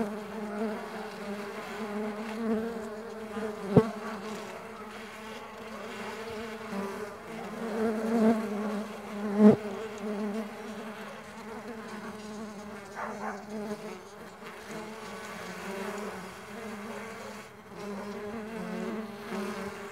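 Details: Mandaçaia stingless bees flying: a steady low droning buzz with rich stacked overtones, its loudness wavering as bees pass, broken by two sharp clicks near four and nine and a half seconds.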